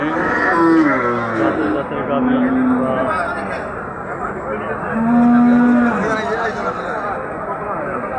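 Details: Cattle at a crowded Eid sacrifice cattle market in Basunia, Bangladesh, lowing with long, low, drawn-out moos, two main calls about three seconds apart, amid a hum of background noise.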